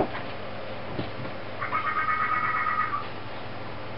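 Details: Inari, a fennec fox, making an odd noise: a single tonal, slightly wavering squeal held for about a second and a half, preceded by soft shuffling thumps in a quiet room.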